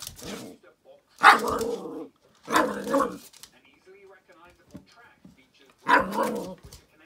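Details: Feisty little dog Teddy during an early encounter with a squeaky ball, giving harsh, growly barks in three or four bursts with pauses between, and faint human voices in the gaps.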